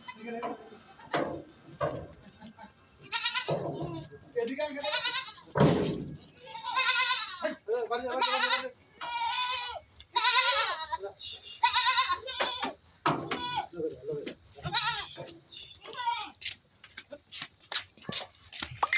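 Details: Goats on an improved-breed goat farm at a friend's home give several wavering, harmonic-rich bleats with a quavering tremble, mixed with frequent human speech and farm clatter throughout.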